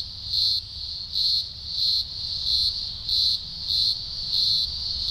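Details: Green grocer cicada chorus at a large Blue Mountains emergence, early October 2020, thousands singing: a shrill high buzz swelling into loud bursts about every two-thirds of a second, with a faint low rumble beneath.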